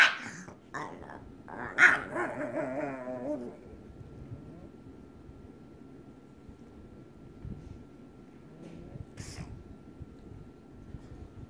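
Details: Pet pug wanting to play with another pug lets out a quick run of yappy barks and a whiny, wavering growl for the first few seconds, then near silence with one faint later yap.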